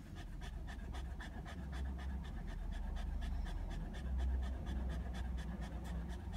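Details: Hot Border Terrier lying out sunbathing, panting steadily in rapid breathy puffs about every half second, the huffs regular and close against a low outdoor rumble.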